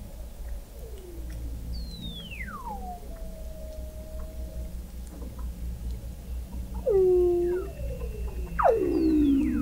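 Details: Weddell seals under sea ice in McMurdo Sound, Antarctica, recorded November 2017 by an observatory 21 m below the ice: long descending whistles gliding from high to low, followed by overlapping downward sweeps and a bright falling call near the end.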